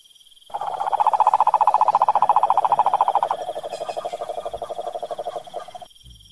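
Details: Wild cane toad from the Brazilian sertão and Pantanal giving a loud, steady pulsed trill at mid pitch, many rapid even pulses per second, slightly lower and softer in the second half before stopping abruptly.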